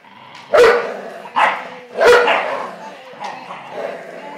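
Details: Three loud bark-like bursts and a fainter fourth, with gaps of nearly a second, over a low steady hum. An 11-year-old American Staffordshire Terrier and a Blue Nose Pit Bull puppy are playing tug of war.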